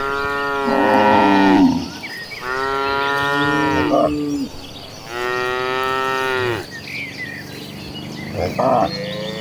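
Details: Tame domestic cattle among hundreds walking toward the pasture; long, loud, harmonic moos follow one another, several overlapping, each lasting one to two seconds, with faint bird chirps behind.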